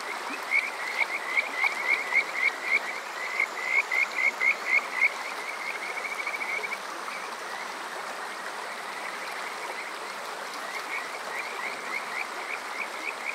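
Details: Kajika frog calls from Water Park Shirayama in Chichibu District, Saitama, Japan, summer night, TASCAM DR-05X: a loud burst of quick, evenly spaced rising notes for five seconds, then fainter scattered chirps against a background of flowing stream.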